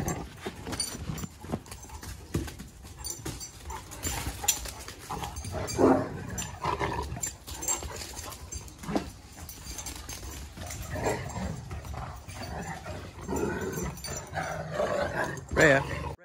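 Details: Two Great Danes playing together in a yard: short bursts of growling and whimpering mixed with panting and scuffling, louder flare-ups around the middle and the end.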